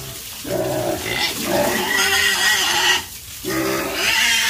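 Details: Pigs on a farm make lower, rough grunting calls mixed with short squeals. Two longer bouts are split by a brief quiet moment.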